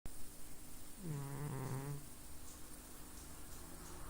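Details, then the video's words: Pet cat asleep and snoring indoors: one low, buzzy, rattling snore lasting about a second amid steady background hiss. "Snoring cat"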